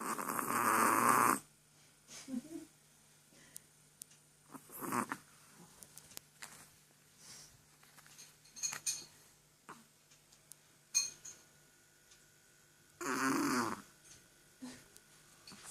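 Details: Chihuahua asleep and snoring: three rasping, buzzy breaths at uneven gaps, the first and last long and loud, the middle one short, with faint small clicks in a hushed room between them.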